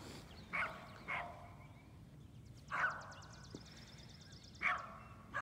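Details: Dogs barking on a cold March morning, March 8: distant, irregular barks, two close together, then single barks spaced about two seconds apart, with faint rhythmic clicking and low background rumble.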